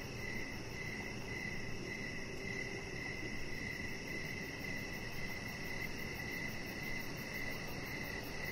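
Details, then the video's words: Evening crickets near a deck, their high chirps running close together into an almost continuous shimmering trill, with a constant low background hum underneath. "Cricket Sounds"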